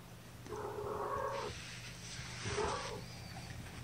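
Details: Week-old domestic kittens from mother Gamora's litter of five, born April 14th, lying in a lap indoors; two drawn-out mews about a second each, the second slightly shorter, over a low background hum.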